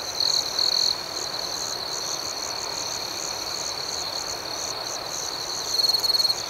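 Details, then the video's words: Nighttime cricket chorus with continuous high-pitched ringing and fast pulsed chirps, with brief louder trills at the opening and again in the last second. "Soothing Cricket Sounds"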